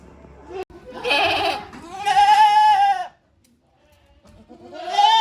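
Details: Goats inside a shed on a handmade goat farm, 5 December 2023, sometimes giving odd-sounding calls: a wavering nasal bleat, then a longer steady bleat, a pause, and another bleat starting at the end.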